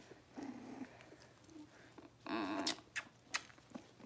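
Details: Six-week-old Cavalier King Charles Spaniel puppies in an indoor puppy pen, being dewormed and having toenails trimmed; a soft low whimper early on, then a louder quavering whine mid-clip, amid clicks and handling noise.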